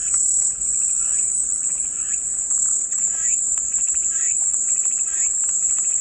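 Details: Cicadas offered as calming white noise: an unbroken, high-pitched shrill buzz holding steady throughout, with faint scattered chirps and ticks lower down.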